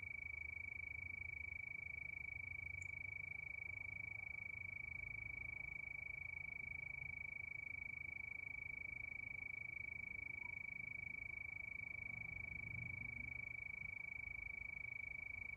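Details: Night chorus of crickets under the moon: an unbroken, piercing, rapidly pulsed trill holding one high pitch throughout, with a light low rumble and an isolated click near three seconds.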